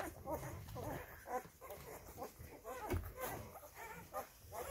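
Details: Rhodesian Ridgeback pups five days old whimper in thin, quavering squeals, some overlapping, set against a muffled low background murmur.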